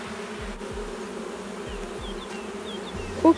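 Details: Queenless honey bee hive with laying workers, just as the bees begin to get agitated during inspection. A continuous buzzing drone with a few faint higher whines and a short knock at the end.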